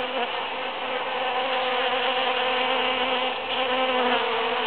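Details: Busy bees foraging through huge cactus flowers after the June 22, 2013 Super-Full Moon; a dense, steady droning buzz from many wings hums throughout, with a low fundamental and layered overtones and no other clear sounds.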